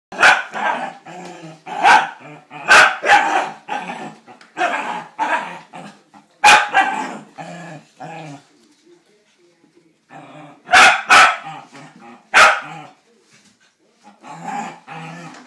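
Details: Pet Scottish Terrier playing with a laundry basket: bursts of sharp, harsh barks in quick runs, joined by continuous snarling growls, with a quiet pause near the middle before more barking.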